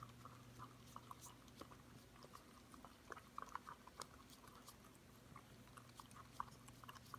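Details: Wet, irregular lapping and smacking clicks as a 5-month-old Corgi puppy cleans out a yogurt bowl inside a room. Some louder slurps stand out above a constant low hum.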